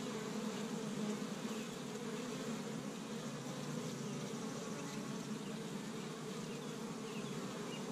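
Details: Busy honey bees at an established Michigan hive on the first warm spring day, foraging pollen from tree buds; a dense, continuous droning hum of many wings, even and unbroken throughout.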